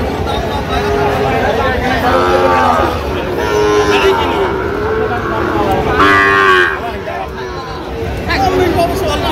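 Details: Sahiwal bull calves at a cattle market in Cumilla, Bangladesh, October 2; several drawn-out harmonic moos from cattle over a steady crowd murmur, people talking and traffic-like background noise.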